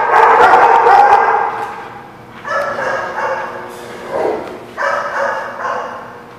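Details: Dog barking on 23 September 2017; a long opening bark, then a string of shorter, rougher barks and one low sliding yelp, all strong and close.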